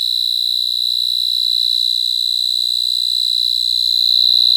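A cricket sings a steady, high, shrill trill that goes on without a break.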